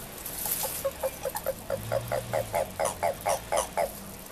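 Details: Courting Japanese common toad, recorded in March 2023: a steady series of about fourteen short, hollow clucking notes, roughly four per second, growing louder toward the end over a faint background hum.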